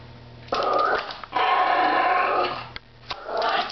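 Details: Chunky pet Chihuahua growling at another household dog beneath a table indoors: a long, rough, rattling growl lasting over a second, then a brief pause and another rising snarl at the end.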